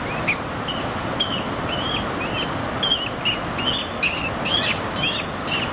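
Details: Two American minks playing or fighting on semi-flooded banks of the Haw River, North Carolina, on October 10, 2016, give high, thin squeaky chirps about twice a second.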